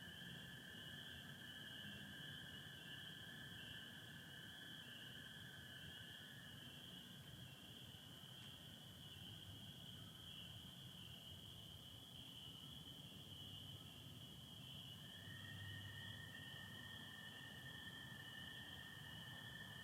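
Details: Michigan spring night with satellites and partial overcast: a massed chorus of spring peepers gives an unbroken high-pitched ringing. The lower steady trill of American toads drops out midway, then resumes near the end.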